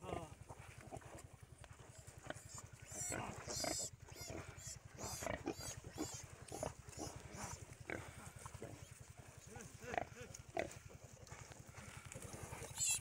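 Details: Pig in the morning, giving repeated short grunts and squeals at irregular intervals over a steady low hum, with a person speaking Bengali nearby.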